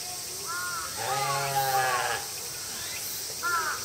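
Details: Several female mouflons crying at once on a summer night at Tama Zoological Park, August 2012: a long, drawn-out harmonic bleat lasting over a second, bracketed by shorter wavering cries, over a constant background of visitors and hiss.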